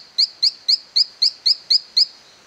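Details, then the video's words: Silverstoneia flotator calling in an abandoned cacao plantation at La Gamba, Costa Rica: eight short, sharp, high chirps, each with a brief upward sweep, evenly spaced about every quarter second over a quiet background. "Silverstoneia flotator calling in La Gamba, Costa Rica"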